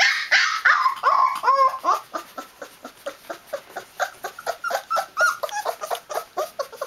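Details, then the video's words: Newfoundland puppy at 20 days old in noisy protest, opening with loud, wavering whines that bend downward, then settling into softer, shorter yelps repeated more than twice a second, heard indoors. "Newfoundland puppy making a noisy protest (20 days)"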